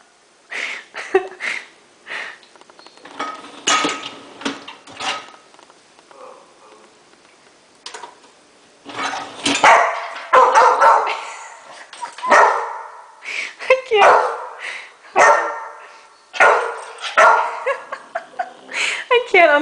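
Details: Pet Rottweiler Escobar, a male, barks repeatedly at the dishwasher's top shelf, ignoring the bottom rack, while dishes and cutlery clink during unloading; bursts of barking cluster in the second half among rattling crockery.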